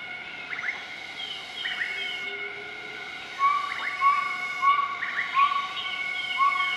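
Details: Southern white-cheeked gibbons duetting at morning in Nakai-Nam Theun National Protected Area, Laos, 20 March 2014; bursts of upswept whistles followed by a string of short rising notes about every half second, over continuous insect drone.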